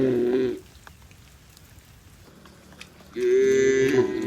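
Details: Cattle herded home to their shed through heavy rain in a rural village, two drawn-out moos separated by a few seconds of rain-filled quiet, the second moo loud and steady.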